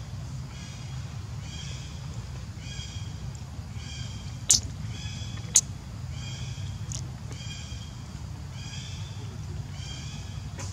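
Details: Hungry baby monkey named Leo cries for its mother's milk, giving thin, tonal, high whining calls about once per second with a few sharp clicks in between, backed by a continuous low hum.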